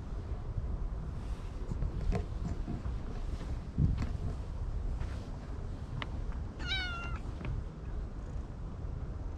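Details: Stray cat under a bench being stroked as other cats gather, giving one short bright meow partway through, over steady low rumbling wind and handling noise.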